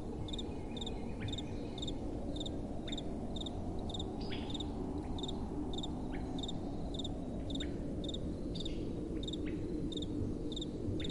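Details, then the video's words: Crickets at night with soft wind: short, bright, high chirps repeating steadily about twice a second over a broad, low rushing wind that fills the background. "Relaxing Night Time Sounds | Crickets & Soft Wind"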